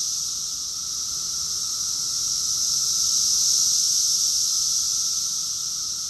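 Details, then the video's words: Summer chorus of many cicadas recorded in Rockville, Maryland, USA, in June 2021: a dense, unbroken high-pitched buzzing hiss that swells gently toward the middle and eases off again, with a faint steady lower hum beneath. "Cicadas song || Cicada's chorus song"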